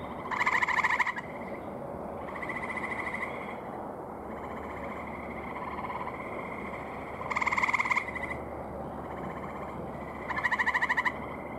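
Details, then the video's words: Male gray tree frogs calling at a pond in the evening, May 15, 2018. Four loud, rapidly pulsed trills, each about a second long, come every few seconds. A softer chorus of frogs fills the pauses. "Male Gray Tree Frogs Calling"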